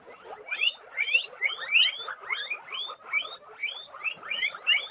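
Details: A group of guinea pigs gives steady overlapping wheeks, each a clear rising whistle with ringing harmonics, pulsing in loudness roughly every half second over softer low chatter.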